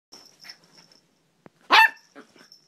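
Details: Bentley, a pet dog going nuts indoors, lets out one loud, sharp bark near the end after some soft scuffling sounds. A thin, steady high-pitched tone runs faintly in the background.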